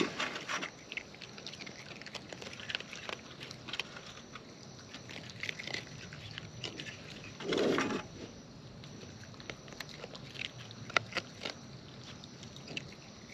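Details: Raccoons feeding in the wild at close range: steady, irregular crunches and wet clicks, with one brief louder smacking burst midway.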